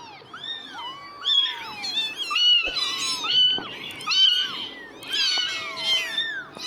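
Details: A litter of newborn kittens, just starting to open their eyes, squealing in high, wavering meows that rise and fall, several callers overlapping in a continuous chorus.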